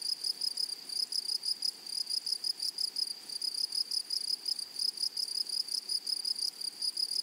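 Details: A grasshopper in a flowery meadow keeps up a dense, uneven stream of shrill, high pulses, almost continuous, with a clear upper overtone and faint background hiss.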